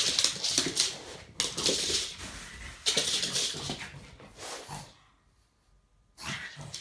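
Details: Pug indoors wanting to play with a kitten, giving breathy, snuffling whines and huffs in rapid bursts, falling quiet for about a second before a final burst.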